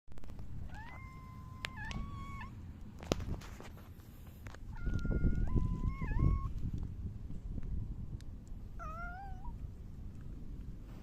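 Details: Silver tabby cat meowing on 29 July 2024 while rubbing against someone; three drawn-out, wavering meows, the middle one longest and slightly rising at its end, over a low rumbling background.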